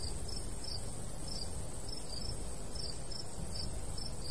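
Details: Countryside crickets in a summer wheat field give quick, sharp high chirps about three per second, loosely timed, with a light breeze hissing and rumbling underneath.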